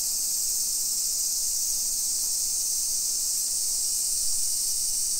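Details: Cicadas on a summer afternoon, 1 PM, 28 July 2021, in a modern hillside neighbourhood of Nisshin, Aichi, Japan, form an unbroken shrill whirring wall of sound at constant loudness throughout.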